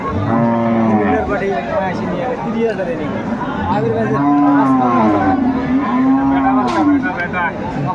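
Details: Dairy cows and calves of improved breeds at Aftabganj cattle market in Bangladesh, 26 May 2024: long, drawn-out moos rising and falling, several in a row, over a busy crowd murmur and background music.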